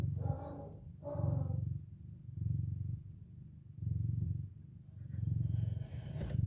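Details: Mother domestic cat speaking to her four kittens as they wake from a nap. Two short harmonic chirping calls open the clip, followed by a deep rhythmic purr pulsing about every one and a half seconds.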